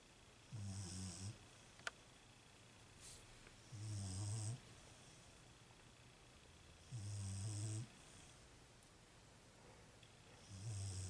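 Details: Sleeping female Beagle snoring: low, rumbling snores with a breathy hiss, each about a second long, repeating roughly every three seconds in four even bursts, with a quiet room in between.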